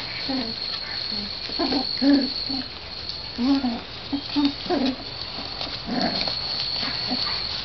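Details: Sheltie-Corgi mix puppies, 3 weeks and 1 day old and just starting to bark, rough-and-tumble inside their shed on March 25, giving short squeaky yips and little growls in scattered bursts over a steady high hum.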